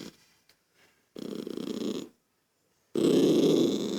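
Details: Lucky, a toy poodle annoyed by a child's noise, makes a low rattling growl of about one second, pauses, then a louder sustained growl; faint soft sounds before the first one.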